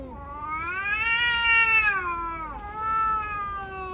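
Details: Fighting tabby cat giving a loud, bright howl that climbs, holds, dips abruptly, then carries on in a strained, nasal wail; two tabbies are brawling.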